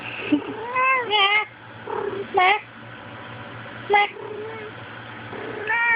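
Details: Indoor female house cat in a bout of violently attacking her own tail, recorded on a Sprint Evo phone. Several bending, wavering meows and a long low wail are interspersed with human talking in the background.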